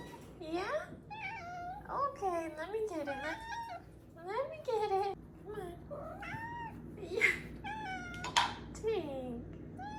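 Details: A 4-month-old female Maine Coon kitten gives a run of rolling trills and short chirping meows, many rising then falling in pitch, with a person talking softly between the calls.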